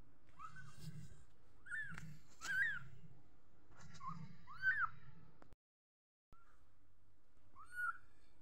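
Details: Little kitten mewing: about six short, high, arched mews, each rising then falling, spread over several seconds with a soft low hum beneath and a brief silent gap.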